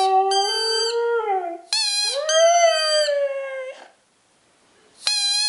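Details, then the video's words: Nikita, a two-year-old male Siberian husky indoors, howls in excitement at his squeaky ball: two long, smooth, pitch-gliding howls, the second rising then slowly falling, with sharp toy squeaks before and after. "Siberian Husky Howling"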